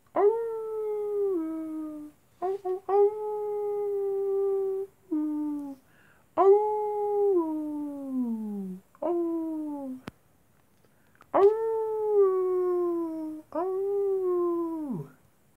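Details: At night, wolves give repeated long howls about every few seconds, each a steady rich tone that ends in a downward slide, some notes overlapping in a chorus-like sequence.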